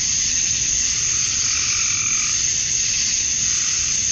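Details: Georgia, USA, summer dusk: massed male cicadas calling to attract females, producing a relentless high sizzling buzz with slight ripples in tone, unbroken for the whole stretch.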